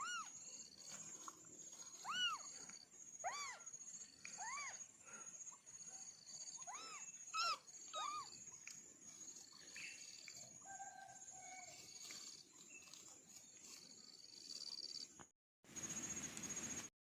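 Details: Four kittens of an orange-coated litter mewing: a run of high, arched meows, each rising then falling, repeated every second or so through the first half, then sparser, quieter calls, over a steady high-pitched electrical whine.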